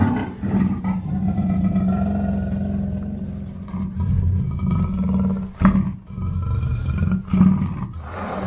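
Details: Low, throaty continuous growl of a black panther, breaking off twice near the end into louder rough snorts, faint thin tones sliding overhead.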